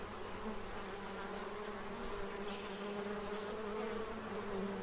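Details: Bees feeding at a tray to prepare for winter in Central Illinois, a steady droning hum with bands around 200 and 400, fairly even and continuous, with faint higher bird-like notes in the background.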